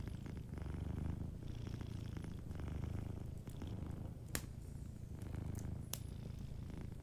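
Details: Sleeping cat by a warm fireplace, purring softly in a steady low rumble that swells and eases with each breath roughly every second, while sharp wood crackles snap from the fire.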